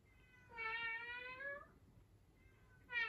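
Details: Pet cat meowing in a small room: one long, steady meow slightly rising toward its end, then quiet, followed by the sharp onset of a second, louder meow.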